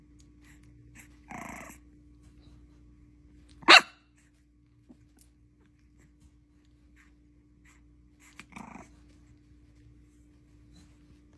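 A bulldog puppy lets out a few short, rough barks separated by long quiet pauses.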